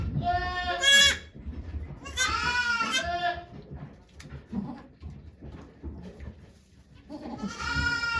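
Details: Goats at Yoshigake farm, Japan, on 3 May 2023, during Okayu's delivery of two kids before many volunteers. Three tremulous bleats open the recording, then a stretch of murmured conversation, then one more bleat at the end.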